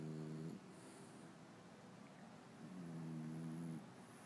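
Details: Sleeping French bulldog gives two snores, the first ending with a short slide in pitch, then a pause before a longer, even, low-pitched buzzy drone about a second long.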